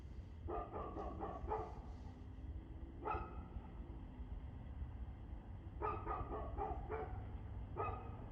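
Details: Dog barking at 6:02 pm on 2/6/2024: quick clusters of three or four sharp barks, then a single bark, a later rapid burst and one final bark, over a steady low rumble of background noise.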